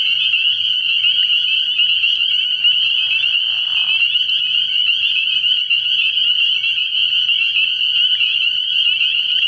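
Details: Spring peepers massed at a frogpond at night in early spring, their high-pitched peeping blending into a constant shrill drone, with a brief lower buzzy sound midway.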